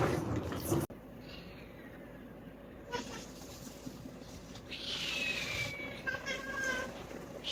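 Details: Kittens growing noisy after seeing food: thin, high-pitched mews, one long falling cry near the middle followed by a shorter held mew, after a sharp knock at the start, over a steady low indoor hum.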